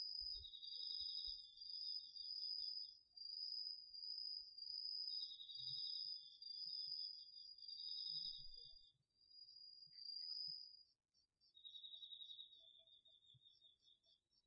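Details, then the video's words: Crickets with other autumn insects at night in a garden vegetable patch in Japan, recorded on a DR-40X: high shrill trills and lower chirping bursts that pause midway, then resume, with faint low rustles. "秋の虫の声 ASMRでおやすみなさい 〜虫の音を枕元で聞いてね〜 こおろぎ他"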